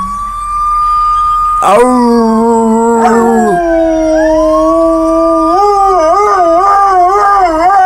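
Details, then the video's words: Dogs howling while being encouraged to imitate sirens; sustained steady howls with a brief sharp noise, then a rising tone that turns into a wavering, undulating howl. "Dogs making noise"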